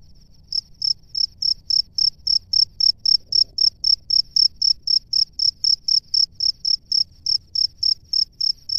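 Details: Male cricket at its burrow calling to females: a steady train of short, bright pulsed chirps, about four per second, regular and unbroken over a quiet low background.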